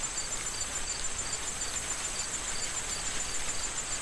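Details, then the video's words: Fall corn field soon to be harvested: wind and rustling stalks fill the background while crickets give short, evenly repeated chirps roughly twice a second above a constant high-pitched trill. "Corn Field Sound of Wind and Crickets"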